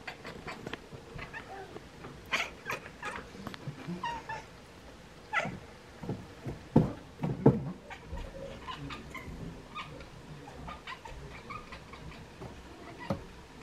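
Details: Two Bengal cats, Bonnie and Isla, chirp and chatter at swallows getting ready to migrate. Short, irregular bursts of clipped chirps and meows run through the clip, with the loudest cries clustered near the middle, heard indoors.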